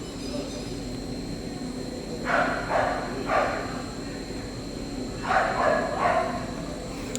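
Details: Dogs barking in the background inside a Toronto pet store: short, rough barks in two clusters of about four, separated by a few seconds, over a steady indoor hum.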